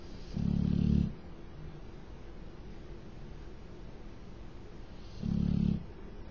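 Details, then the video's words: Loud snoring from Tyson, a pet dog asleep indoors: two heavy, low rumbling snores, each lasting under a second, spaced about five seconds apart, with quiet room hiss between. "Shhhh........Tyson's snoring!"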